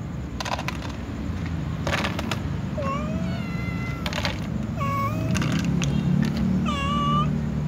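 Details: Cats, including a tom and a white cat, meowing before feeding with others: several short, rising then level meows spaced about a second apart, mixed with sharp clatters and a steady low rumble.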